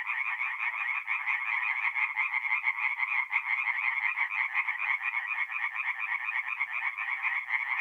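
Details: Steady night chorus of singing tree frogs from a forest pond in north-east Italy, mid-April; rapid buzzy pulses repeat without pause, with no other sounds standing out.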